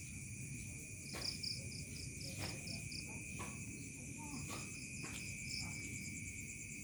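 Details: Crickets calling in a village at night, dusk turning to evening: a steady, high ringing drone with a rapid pulsed chirping above it, and faint scattered short calls from other creatures in the background.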